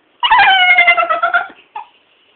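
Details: A female Staffordshire bull terrier that cannot bark gives a drawn-out, wavering whine-howl breaking into a brief squeak, "conversing" with her owner, who asks what she wants.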